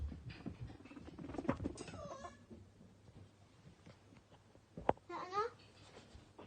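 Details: Two pet male guinea pigs, Toffee and Fudge, playing, popcorning and eating carrot-stick snacks indoors; short harmonic squeals rise and wobble near the second mark and again near the fifth, with soft human talk and rustling at the start.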